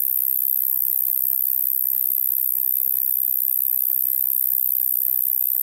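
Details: Roesel's Meadow Bush-cricket, Maising, Germany, 8 July 2020, delivering an unbroken, even, very high sizzling buzz throughout, with only faint background noise.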